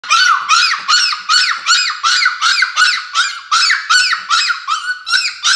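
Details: A happy Chihuahua puppy gives a quick run of high, tuneful yelping howls, nearly three a second.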